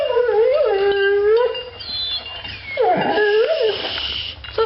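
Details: Indoors, Bailey Blue, a female pet dog excited by a dog outside, lets out two long, quavering howls, each sliding up and down in pitch, separated by a pause with a woman's voice faintly heard.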